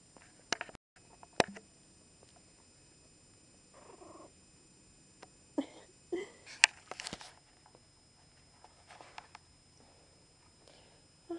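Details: Newborn Chihuahua puppies just born to Sweet Pea, a litter of three (two boys, one girl), indoors: short high squeaky squeals and whimpers in scattered bursts, with quiet gaps and occasional handling noises.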